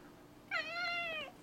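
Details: Male cat, four years old, indoors, meowing as if talking about a lizard it saw: one drawn-out harmonic meow lasting under a second, steady then falling slightly at the end.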